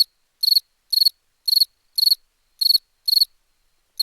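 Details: Chirping cricket: crisp, high pulsed chirps, each a quick burst of about four clicks, repeated roughly every half second in a clean, quiet setting with no other sounds.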